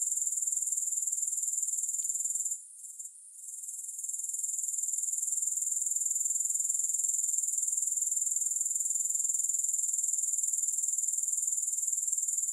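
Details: A shrill, unbroken grasshopper trill, finely pulsed, fades for about a second after the two-second mark and then resumes at full strength; no music.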